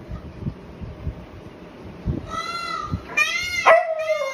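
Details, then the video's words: A Siberian Husky howls like a wolf in response to a peacock's call: a drawn-out, wavering howl that rises, then slides down in pitch near the end, after soft thumps and background noise. "Husky howling to peacock sound|| Howls like a wolf"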